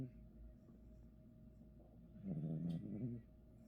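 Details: A sleeping dog snoring indoors: a low, rough, rattling drone swells for nearly a second, then fades back to a quiet room hum.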